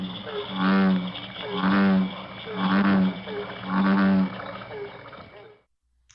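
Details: A non-native American bullfrog, often heard in summer in the Fraser Valley, gives deep, droning 'broom' notes, about one per second.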